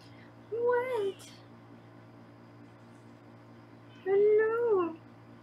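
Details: Foster kittens in a Los Angeles kitten room, filmed on a live round-the-clock kitten cam during weighing. Two drawn-out, even meows about three seconds apart, each holding pitch before sliding down at the end, over a steady low indoor hum.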